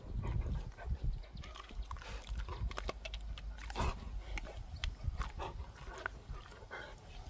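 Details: Gorlock The Destroyer, a dog, grunts and snuffles while eating and playing; deep, continuous low grunting with snorting bursts and crisp clicking or smacking sounds, loudest near the middle.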